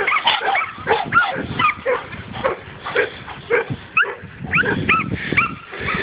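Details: A hunting dog at its first meeting with a wild boar barks in quick, sharp bursts mixed with yelps and squeals, while a person urges it on in Russian.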